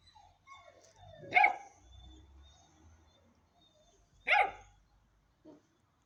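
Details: Ten-week-old Hanoverian Scenthound puppy giving two sharp, hoarse barks about three seconds apart, with a faint short yip at the end and quiet low rumbling background between them.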